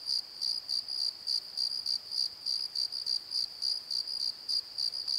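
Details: Night crickets in a valley bottom at Pozo, recorded with a Nikon D7100, give a continuous run of high pulsed chirps, about three or four per second, evenly spaced against quiet background.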